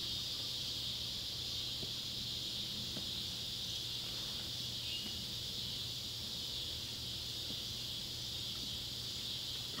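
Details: Summer sunset chorus of Neotibicen pruinosus and Neotibicen tibicen cicadas near an old tobacco barn, Ballard County, Kentucky, July 31, 2013: a continuous high-pitched hiss-like drone with a few faint ticks and low hum beneath.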